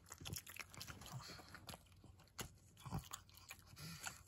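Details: Senior pug named Maria eating treats: crisp crunching bites in quick irregular bursts, sharp clicks spread through the clip over a low steady room hum.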